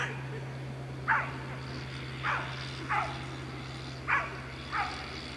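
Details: Afghan Hound barking at the Makkarajuoksut unofficial race in Tampere, 2 October 2016: five short, sharp barks spaced about a second apart, with a constant low hum underneath.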